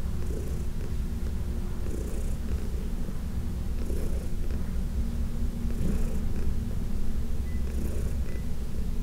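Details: Heidi, a 14-year-old senior cat adopted from the Humane Society of New York City, purring while being massaged, June 17, 2021: a steady deep rumbling purr, with soft brushing strokes about every two seconds.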